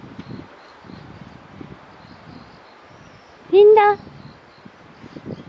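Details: Single loud, tonal bark from a 2-year-4-month-old Dobermann behind a fence, alerted by a wild fox cub on a Sunday morning in October 2018; soft rustling and faint footsteps come before and after.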